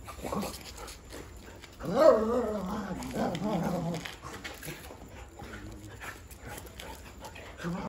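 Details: Dogs in India, excited on meeting their owner after three days away: a loud, long, wavering whine-howl that rises then falls over about two seconds, with shorter whimpers before and after, over a man calling and outdoor background noise.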